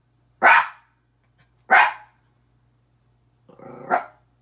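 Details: Miniature Pinscher barking at himself in a mirror indoors: two sharp, high, clipped barks about a second apart, then a lower, rougher growling bark after a pause.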